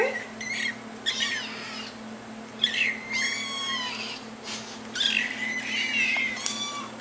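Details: Small kittens calling for their owners' attention: several overlapping high, thin mews, some short and some drawn out with falling tails, over a constant low hum indoors.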